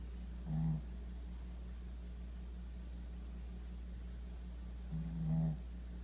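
A sleeping Shih Tzu gives two low, rumbling snores several seconds apart over a steady indoor hum.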